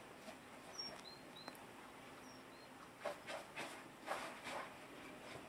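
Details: Hedgehog snorting, said to be a healthy sign: several short, breathy, hissing snorts in quick succession in the second half, with faint thin chirps of birds earlier and a soft background hiss.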